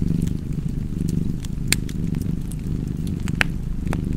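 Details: Soft continuous rumble of a purring cat underneath a crackling fire, the purr less clearly pulsed here while fire pops and snaps stand out above it.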